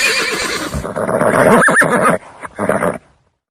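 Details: Horse neighing: a loud, rough whinny with a wavering, shaking pitch that peaks near the middle, then fades into shorter snorting bursts before silence.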